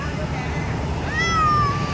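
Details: A Persian cat gives a brief, clear meow that rises slightly and then slides down, over a low background rumble.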